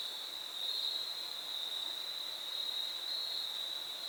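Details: Crickets along the Foothills Trail in fall 2022, recorded on the third day of a thru hike: a steady, unbroken high trill holds at one pitch throughout, over a soft hiss of background noise.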